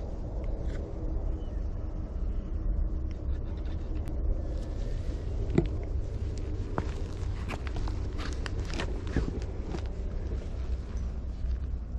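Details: A low outdoor rumble of passing vehicles with scattered footsteps, light clicks and faint distant voices. No animal calls are heard.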